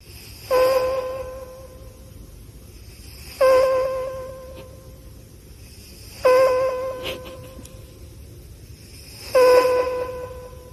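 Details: Cat asleep, snoring in four regular breaths roughly every three seconds, each a nasal, slightly whistled tone that starts sharply and fades, over a low steady background hiss.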